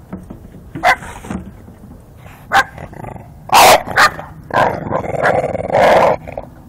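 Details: Bulldog attacking the wheels of a garbage can as it is moved, giving short rough barks and growls amid rattling and scraping of the can, with a person's voice early on.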